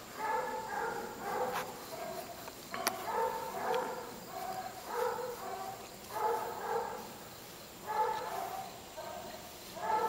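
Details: Basset Hound, a neutered male former stray from a West Virginia shelter, now up for adoption. Short tonal, harmonic barks or whines come in loose bursts about every second over a steady background hiss.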